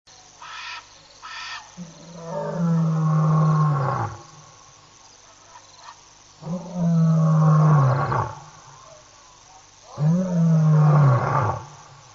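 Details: A male lion, apparently on a live webcam, roars in three deep, drawn-out bursts that fall in pitch and rumble low. Recorded at night, 11:35 PM SAST on 2 October 2010, about a minute after a chat-room user typed a roar.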